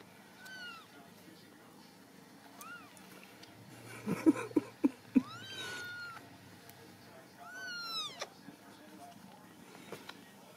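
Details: Ragdoll kittens raised indoors at a home cattery in central Kansas give several thin, high meows with arching, bent pitch, spaced a few seconds apart, while a woman talks softly and a few sharp taps sound midway.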